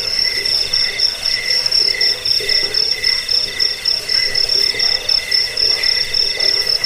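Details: Crickets played to drive away rats, lull listeners to sleep and tutor songbirds: a dense, unbroken insect chorus of high, rapidly pulsed chirps over a lower pulsing band, with soft beats swelling and fading about every half second.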